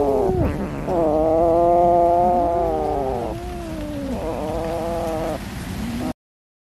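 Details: Cat being fed fish, beginning with a short sharp cry, then a long loud meow, followed by two softer drawn calls before the sound cuts off into silence.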